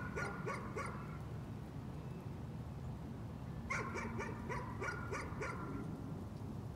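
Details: Dog barking as a nuisance: a short burst of four quick yaps, a pause of nearly three seconds, then a longer run of about six sharp barks over low rumbling noise.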